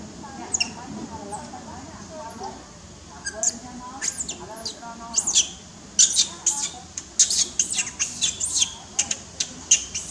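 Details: Newborn baby monkey held by its mother, unhappy at being kept from playing: sharp, high squeaks, sparse at first, then a rapid burst of repeated squeals in the second half, over a low murmur of background voices.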